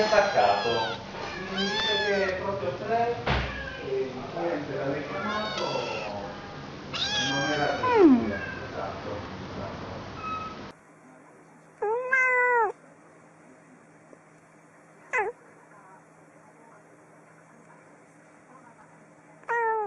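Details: Domestic cats meowing: a dense, overlapping chorus of meows and cries with human voices for about ten seconds, then three separate short meows with quiet pauses between them.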